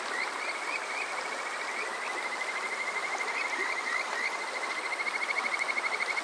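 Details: Kajika frog trilling on a summer night at Yokoze, Chichibu, Saitama, Japan, recorded with a TASCAM DR-05X: a long even trill of fast repeated notes, with pulses growing stronger toward the end, over constant stream noise.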